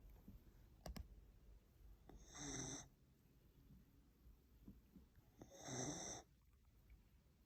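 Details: Sleeping whippet snoring indoors: two breathy, wheezing snores with hissy high overtones, one at two and a half seconds and one near six seconds, with a few faint clicks between them.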